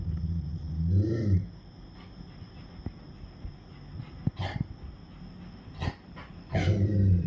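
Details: Rottweiler barking at night in reaction to hearing crickets: two deep, harsh, growling barks near the start and end, with faint knocks between, over a steady high cricket trill throughout.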